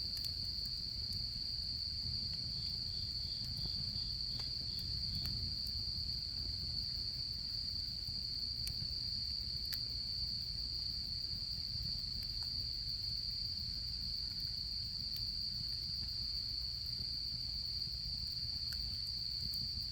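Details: Autumn insects at a campfire during autumn camping season: a steady, high, unbroken shrill trill runs throughout, with a brief row of quicker pulsed chirps early on, sharp crackles and pops from the fire, and a low rumbling background.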